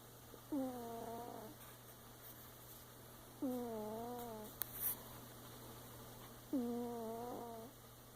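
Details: Mother cat snoring: voiced, tonal, moaning snores about a second long, each sliding down then flattening, repeated roughly every three seconds over a steady low hum and soft room noise.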